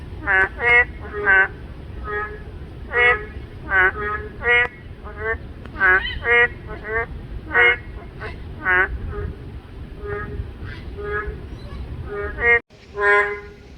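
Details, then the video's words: Several boreal digging frogs in chorus, males calling to lure females, with neighbours answering one another. Nasal, honking harmonic notes come in uneven bursts and doubles, some louder than others. Near the end there is a brief silent break. "맹꽁이 소리"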